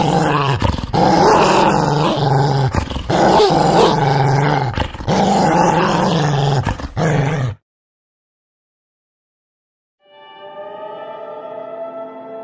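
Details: Dog giving rough, low rumbling growls in a run of bursts with brief breaks for about seven and a half seconds, then a pause of silence, followed by a steady, smooth tonal sound.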